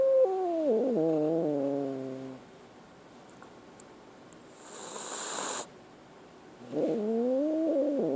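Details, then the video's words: Scared kitten with a wavering, descending harmonic cry ending in a low growl, a quiet gap with a burst of rustling noise, then a fresh rising, warbling wail. "Scared kitten"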